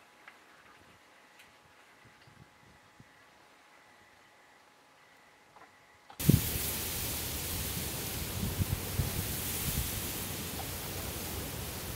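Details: Quiet, faint background for six seconds, then a sudden loud, steady broadband hiss like rushing wind or spray fills the rest.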